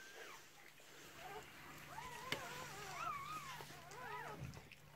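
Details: Newborn Cardigan Welsh Corgi puppies, from a first litter of six born to a red merle mother in 2018, give thin arching squeals and whines, several overlapping and rising then falling, over a steady low hum.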